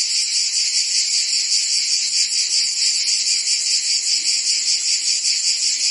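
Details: Crickets and other insects fill the air with a dense, steady high-pitched trilling. A faint pulsing runs through it at roughly two and a half beats per second, with no other sounds.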